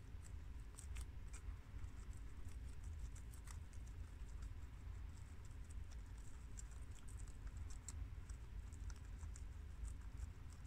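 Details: Four pet guinea pigs, Shiro (tri-colour American), Crash (red American), Cookie (long-haired mini yak) and Peanut (Abyssinian), munch freshly washed garden romaine lettuce; crisp, irregular crunching clicks come in quick bursts over a steady low indoor hum.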